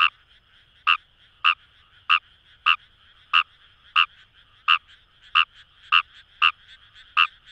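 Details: Wild Fejervarya kawamurai calling in paddy fields along the Kamo River, Itoshima, Fukuoka, Japan; short harsh croaks with a faint background chorus, about twelve in seven seconds at slightly uneven spacing.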